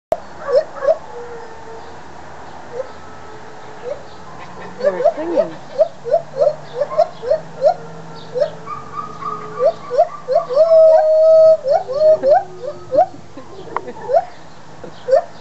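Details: Two white-handed gibbons at the Toronto Zoo calling excitedly: rapid series of short rising whoops near mid pitch, accelerating into a climactic run with a sustained pure whistled note, plus lower held tones and soft background murmur.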